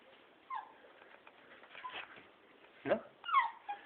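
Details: Young beagle named Balu giving short, high whining yelps that slide downward, three separate outbursts spread over a few seconds, with quiet coaxing human voice in Hungarian in a small room.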